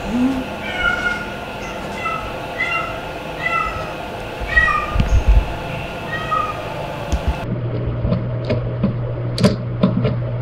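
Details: Talkative rescued female white kitten with orange and grey markings, about four months old, filmed in early July 2022; a run of short repeated meows, roughly one each second for seven seconds, followed by handling noise and a steady hum.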